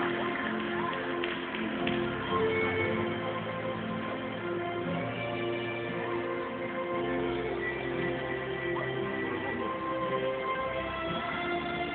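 Steady, muffled music with sustained tones fills the recording, with no animal calls heard.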